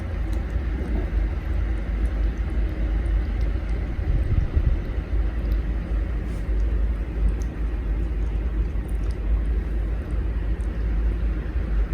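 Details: Heavy low-frequency rumble like passing traffic or aircraft dominates throughout, with faint high ticks and no animal calls.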